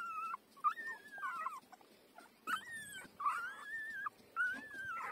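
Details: Five-day-old puppy nursing from its mother, giving thin high whimpering squeals that slide up and waver, in several drawn-out cries separated by short pauses.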